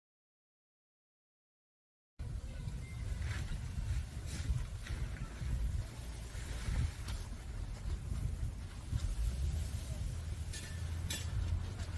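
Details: Two seconds of silence, then a steady low rumble with scattered scraping and rustling clicks, and no animal calls.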